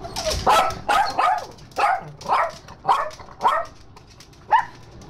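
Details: Chihuahuas greeting their owner at the door, giving a run of high yappy barks, about seven sharp bursts roughly every half second with brief pauses, while a woman calls to a dog indoors.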